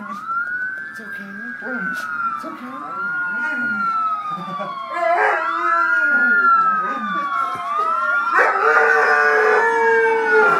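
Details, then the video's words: Alaskan Malamute named Wiley howling along to passing sirens: long wavering tones rising and falling under the sweeping siren wail, with a person praising the dog as a good boy partway through. "Howling malamute"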